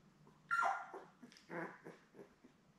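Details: Newborn Labrador Retriever puppies, a litter of seven born May 24, 2021, with their mother Belle, on a live puppy cam on June 4: a loud whining squeal, then a second shorter whimper and a few faint squeaks.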